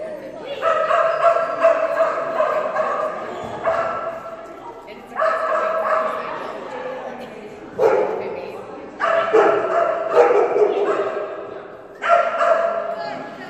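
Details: Phenix, a female Kerry Blue Terrier, during an agility class run; high, ringing barks in sustained bursts of one to two seconds, five bouts separated by short pauses, with human voices in the background.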